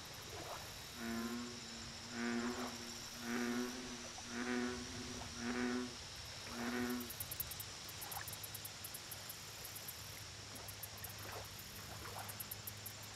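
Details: American bullfrog at a lake: a run of six deep, resonant, harmonic croaks spaced about a second apart, then a few fainter, scattered ones, set against a steady high-pitched insect drone and rapid ticking.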